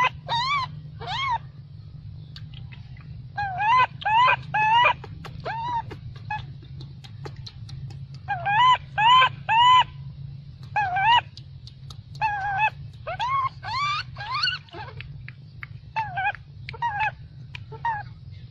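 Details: Angry baby macaque denied milk by its mother, shouting loudly in a long run of tonal, arched, wavering cries, single and in quick bursts, nearly two per second, with a low background hum throughout.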